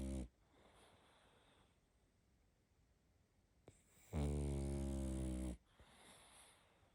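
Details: Baby pug asleep, letting out one deep, rumbling snore about one and a half seconds long, rich and resonant, after a brief snort at the start and a quiet stretch of soft breathing.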